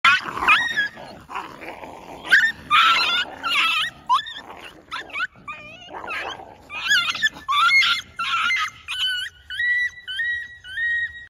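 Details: Dog in Bangladesh during a sudden attack and dog fight: shrill, wavering yelps and squeals that rise and fall, heard amid scuffling noise, then shifting to a run of short, steady, evenly repeated high whines toward the end.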